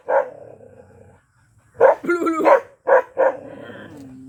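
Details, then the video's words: Black Bhotiya dog barking in a frenzy: a single bark, a pause, then a yowling, growly howl followed by two crisp barks and a trailing low whine. "Mad ! Barking Bhotiya Dog Black"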